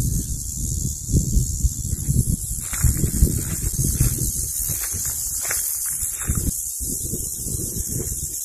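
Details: A male California cicada gives a steady, high, hissing buzz that runs unbroken, a mating call to attract females, heard while hiking in summer.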